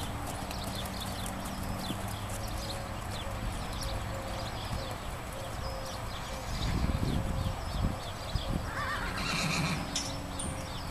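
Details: Black unpapered Tennessee Walking Horse, about 12-13 years old, male, stocky, at a horse rescue; a brief whinny near the end over hoof thuds and a steady background hum.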